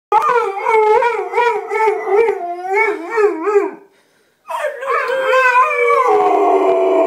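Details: A female Bullmastiff howls while greeting her owner: wavering, yodel-like howls with rich harmonics rise and fall in pitch, a brief pause, then a higher, sustained howl that slides downward.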